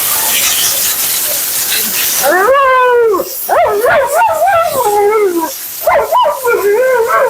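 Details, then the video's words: During a Husky bath and blowout, Mila, a female Siberian Husky, starts after a loud dryer blast cuts off, producing a falling howl followed by a rapid series of warbling, up-and-down yodeling calls. "Talking Husky FURNADO Bath and Blowout"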